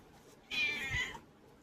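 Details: Pet cat indoors giving a short, thin, high meow lasting under a second, slightly falling at the end, over quiet room noise.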